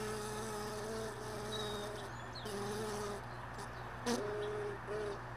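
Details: Honey bees lingering at hive boxes left in a truck bed, early morning; a low droning hum comes and goes in short stretches of a second or so, with a brief sharp knock near the end.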